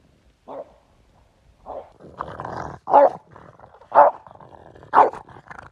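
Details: French Bulldog out at a river bank with its owner, giving short gruff barks roughly once a second after a low grumbling stretch, each bark rough and mid-pitched, with quiet gaps between.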